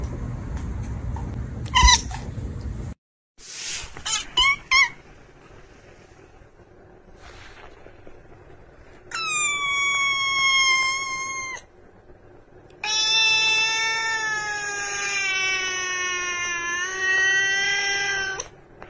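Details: Domestic cats in a funny pet compilation: after a few brief clicks and bumps, two long, drawn-out, harmonic-rich wailing meows, the second lasting about six seconds with a wavering, level pitch.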